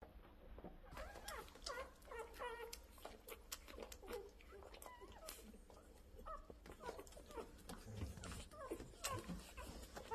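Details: Rottweilers making many short, high, squeaky whimpers and yelps, often rising or bending in pitch, in quick irregular bursts throughout, with low background rumble and occasional human voices nearby.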